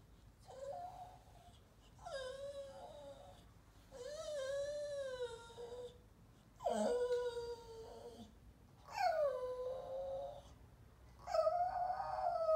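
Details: Lizzie, a female Staffordshire Bull Terrier x Rhodesian Ridgeback indoors, singing to attract attention: six drawn-out, wavering howl-whines of about a second each, rising then sliding down, spaced roughly every two seconds in a quiet room.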